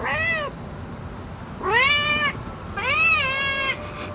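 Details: Cat making a loud fuss on discovering a cicada, giving three clear, rising-then-falling meows in about four seconds, the last one trailing off into a long level tone over a constant low hum.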